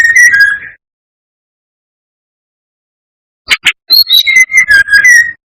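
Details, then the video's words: Brown-chested jungle flycatcher singing, recorded to provoke rivals: a slurred whistle trailing off, a long silence, then a quick run of sharp chips and clear falling whistles. "Pancingan SRDC gacor atas bawah || suara bikin ngamuk SRDC lainnya"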